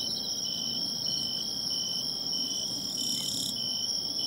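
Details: Bell cricket singing by the seaside, found by listening for its sound: short ringing bursts repeated steadily, each briefly swelling, over a dense, hissing background of other insects.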